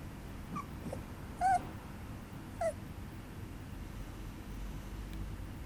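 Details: Papillon puppy indoors giving two brief, thin, high whimpers about a second apart, with faint soft sounds and quiet room noise between them.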